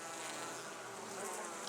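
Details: Calm honey bees at a top bar hive during the main spring inspection on 29 May 2014, giving a dense, steady hum rich in overtones that holds level without pause.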